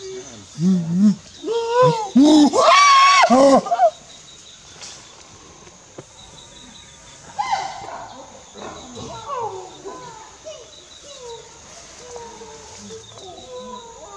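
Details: Eastern chimpanzee (Pan troglodytes schweinfurthii) at Kibale National Park, Uganda: harmonic hoots climb in pitch and loudness and peak in shrill screams around three seconds, then fade to quieter, scattered rising calls over faint background hiss.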